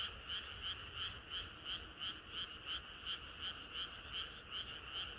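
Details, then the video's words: Frogs singing together on a hot summer night, rhythmic croaks pulsing roughly three times a second above a dense continuous chorus. "개구리들의 합창은 끝이 없어라"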